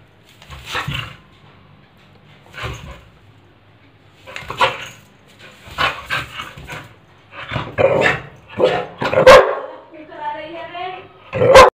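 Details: Pit bull dog playing with a broomstick, giving short rough barks and growly bursts at irregular intervals. The bursts grow louder and closer together toward the end, and a wavering whine-like tone sounds near the close.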